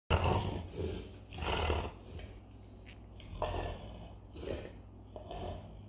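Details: A male Bernese Mountain Dog makes a deep, rumbling growl in bursts, like a revving Harley-Davidson motorcycle engine.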